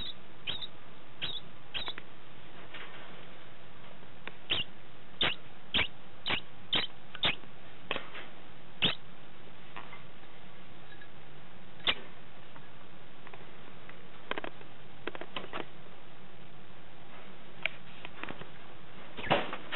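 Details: Degu, a male named Tim, calling after mating: sharp clicking chirps in irregular bursts, some paired closely, spread across the recording over a quiet background.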